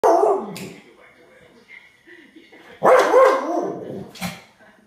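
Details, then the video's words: Staffordshire bull terrier in a garden, barking after spotting a grey squirrel: a loud, harsh bark at the start and another about three seconds later, with quieter vocal sounds in between. "Staffordshire bull terrier spots a squirrel in the garden"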